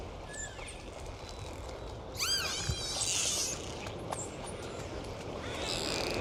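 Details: Swimming, playful dolphins in open sea: a single bright whistle rising and falling, followed by a rapid buzzy burst, then faint chirps against background surf hiss.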